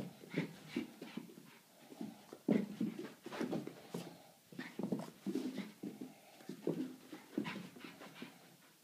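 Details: Boston Terrier (Canis familiaris), bark: inviting play.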